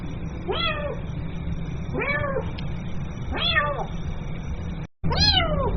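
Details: Domestic kitten meowing for its mother, four short arched cries with bright harmonics, separated by gaps of about one to one and a half seconds, a brief dropout near the end, low background hum throughout.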